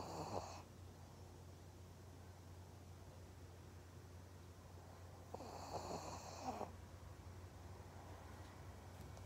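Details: Maria, a pug in Japan, gives two raspy, snorting breaths, one at the very start and a longer one after about five seconds, with quiet breathing and a steady low hum in between.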